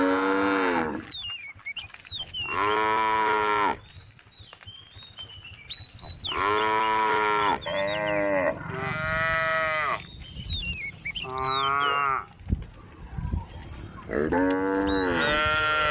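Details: Tame cattle on a road calling to their companions: a series of long, loud, harmonic moos, some rising then falling, repeated every couple of seconds, with small birds chirping in the gaps.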